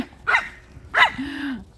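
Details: A cheerful company of Chihuahuas at a home kennel in Crimea gives two short, bright yaps about two-thirds of a second apart, followed by a faint, steady low tone.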